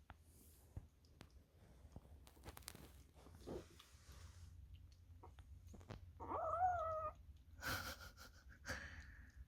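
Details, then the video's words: Korean Shorthair kitten calls while eating, a sound said to come only in kittenhood when food tastes very good: a short wavering, humming mew near six seconds among quiet clicks and chewing noises. "아기고양이때만 낸다는 너무 맛있어서 내는 소리"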